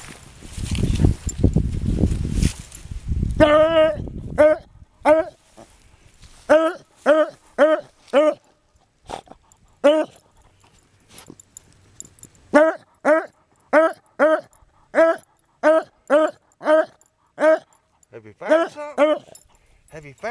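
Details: Twenty-year-old beagle on a hunt, still keen for the chase outdoors; after a man talks to it at the start, it gives loud, ringing barks with strong harmonics, repeated about every half second in bursts.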